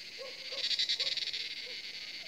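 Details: Evening cicadas in forest at Jabbarkhet Estate around sunset, near seven o'clock: a shimmering high-pitched buzz with rapid pulsing, accompanied by a few short, low croaks.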